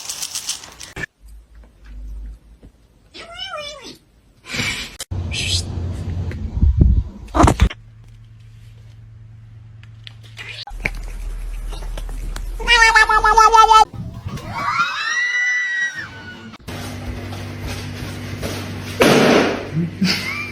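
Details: Kittens meowing: several short, arched, wavering meows that rise and fall, some with a trembling quaver, separated by abrupt cuts to human speech, bumps and low background hum.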